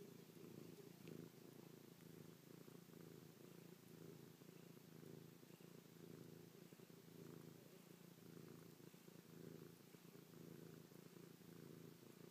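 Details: Chloe, a pet cat, purring affectionately while kissing, pawing and licking her owner's face after sleeping on the owner's back all night; steady low rumbling purr with fine rapid pulsing, continuous throughout, close and quiet indoors.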